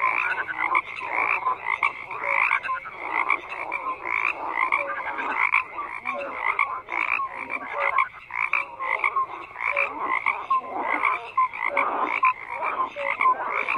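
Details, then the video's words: Croaking frogs in a thick chorus, pulsing rasps rising and falling in bursts every second or so, with occasional short piping notes mixed among the harsh calls. "FROGS CROAKING"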